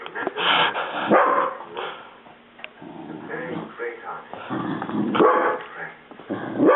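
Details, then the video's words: A pet Dachshund barks and growls at a running vacuum cleaner indoors: rough, harsh barks in irregular bursts over a steady low machine hum, with a person talking in between. "Dachshund vs Vacuum Cleaner"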